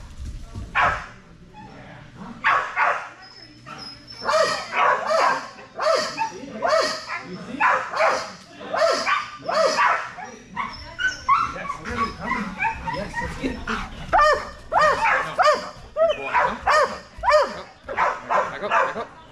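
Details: Strider, a Belgian Malinois, excited during Fetch-It (Air Retrieve) dock diving practice with the bumper raised progressively higher; sharp barks burst out in quick, uneven runs throughout, overlapped by a man's encouraging praise.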